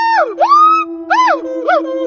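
A siamang gives its haunting duet call, a run of clear, ringing whoops that glide upward and then slide back down. A steady low drone, probably music, runs beneath the calls.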